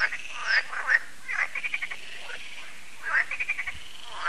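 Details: Frogs croaking in an evening chorus at a lake, Lac de Sabatte in France, as solar lights come on: bursts of rattling, clicking croaks, several overlapping callers with short pulsed trills and brief pauses between.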